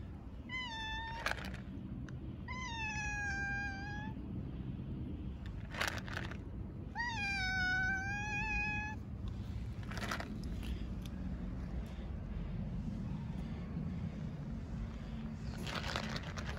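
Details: Stray cats, a calico among them, sitting on street stairs on a cold winter day, meowing loudly for food when their feeder arrives. Three long, wavering, high meows, each drawn out about a second or more, over steady low traffic rumble and brief clatters.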